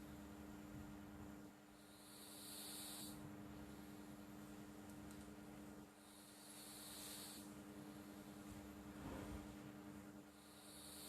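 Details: A sleeping cat called Flo snoring in slow rhythm: airy, hissing breaths recur about every four to five seconds, with a soft low rumble between them and a steady faint hum.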